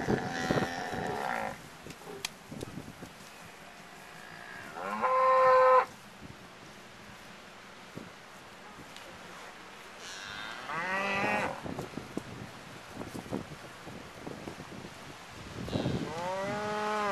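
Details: Cows, bulls and calves, brown, black and white, including Hereford, Angus, Longhorn and Charolais, surround a pickup truck; three separate drawn-out moos, one near five seconds, one around ten to eleven, and a final one, with quieter shuffling between them.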